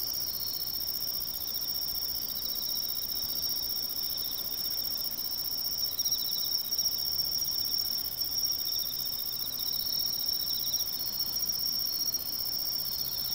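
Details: A Japanese tree cricket gives an unbroken, high, ringing trill in autumn in woodland along a riverside, carrying evenly throughout, while other insects add a fainter pulsing chirr underneath and no other sounds intrude.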